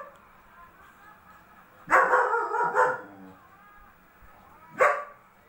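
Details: A double-coated German Shepherd dog gives a harsh double bark after a quiet start, then falls silent. A single sharp bark follows about two seconds later, over a low background hum.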